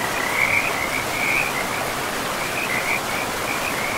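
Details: Frog chorus by a river deep in a pristine forest: rapid, high trilled croaks come in short bursts and gaps, laid over a constant hiss of running water.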